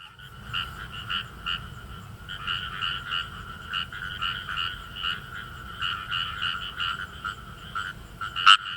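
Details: Kawamura's rice frogs calling in rice paddies of northern Saitama, Japan: a dense chorus of short, rapid croaking pulses, many overlapping callers, with one sharp loud click near the end.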